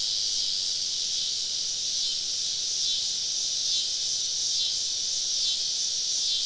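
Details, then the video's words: Cicada chorus recorded while camping deep in the woods on a southern summer evening, many insects around; a steady, sizzling high buzz fills the whole stretch with gentle waves of intensity. "Southern Evening Summer Cicada Symphony"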